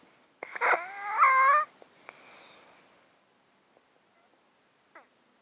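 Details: Domestic cat asleep in a box, close-miked, with a 13-year underlying disease that makes it sound snotty: a wheezy, whistling inhale with stacked tones, then a softer airy hiss fading out, one faint snuffle near the end.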